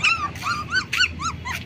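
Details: Black German Shepherd puppies, 20 days old, give high whimpering yelps in quick succession, each a short arched squeal.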